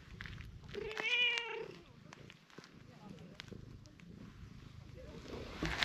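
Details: Cream-coloured stray cat outdoors, pleased by face rubbing but protesting with kicks when its body is touched; one clear meow near the start, then quiet rustling and handling sounds.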